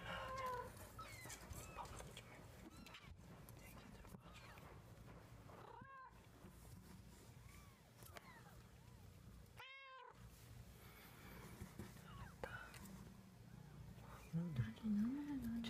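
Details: Young kitten learning to walk, April 2014, lets out two brief, high, bent mews several seconds apart amid steady low background noise, rustles and a short warbling sound near the end.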